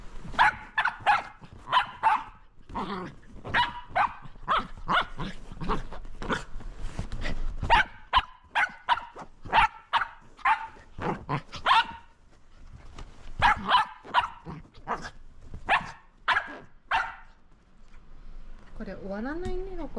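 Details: Roco, a Shetland Sheepdog, barks excitedly while playing with a lint roller: a dense run of loud, sharp barks, often doubled, for about seventeen seconds. A brief wavering whine-like sound closes the recording.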